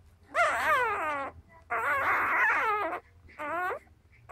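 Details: Newborn Cardigan Welsh Corgi pup, four days old and trying to nurse, lets out three long, quavering squeals with bending pitch, the middle one longer and harsher, followed by a short start of another cry.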